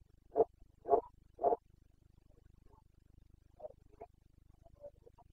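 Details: Rutting Carpathian red deer stag in Bucovina, Romania, breeding season, September 2022. Three loud, rough, clipped roars come in quick succession, then softer, scattered grunts trail off over a faint low hum.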